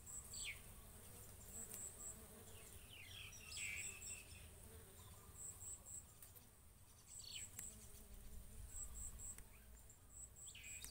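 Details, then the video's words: Bees at coconut flowers, pollinating and feeding: a continuous low buzzing drone that swells and fades as the insects move. Thin high chirps come in small clusters, and a few rising swishes pass by. "Bees Pollinating and eating coconut flower"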